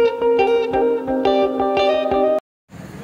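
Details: Picked guitar notes ring out, then cut to a brief silence and a soft background murmur, with no animal calls.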